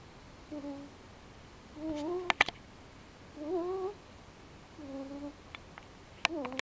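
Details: Snoring house cat dozing just after its dinner; gentle nasal whistling snores rise and fall with each breath, four in a row roughly every one and a half seconds, plus brief clicking noises.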